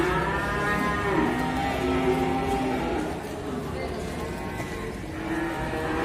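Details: Large cow with an injured leg, watched by visitors, gives a long, drawn-out, harmonic moo that continues through most of the recording, with steady low background noise.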